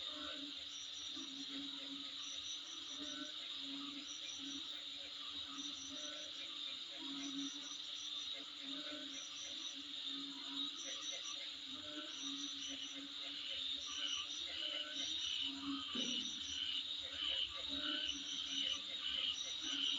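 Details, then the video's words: Insects heard in front of a home, sustaining a high continuous drone while short pulsed chirp groups repeat at roughly ninety per minute, growing slightly louder toward the end. "Sound Of Insect In Front Of My Place"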